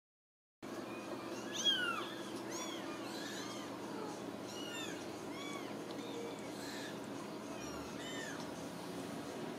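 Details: Ragdoll kittens raised indoors without cages in a home cattery in central Kansas, giving many thin, high, arched mewing calls that overlap repeatedly over a steady low background hum.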